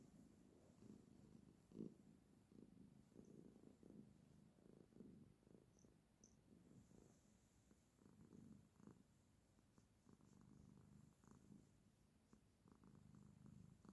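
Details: Quiet, low purring from a female house cat sitting with her owner, a soft continuous rumble pulsing with her breathing over a faint background hiss.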